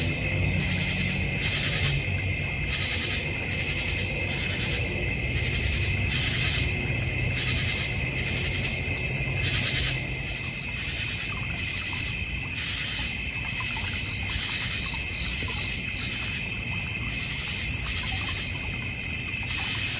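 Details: Crickets in a North Georgia Mountains backyard by a koi pond and fire pit form a dense high trilling chorus; later a rhythmic pulsing beat emerges, roughly two pulses each second, with bright bursts overhead.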